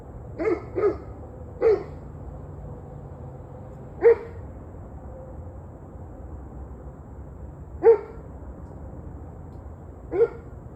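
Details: Barking dog on the evening of 21 November 2023, 7:06 pm: a quick cluster of three barks, then single barks spaced every two to four seconds, against a faint low rumble.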